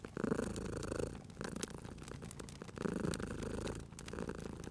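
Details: Sleeping domestic cat purring beside a crackling fireplace in a cozy spring setting: a low, rumbling purr in two long swells about 1.5 seconds each, rising and fading with each breath, while sharp pops and snaps of burning wood crackle throughout.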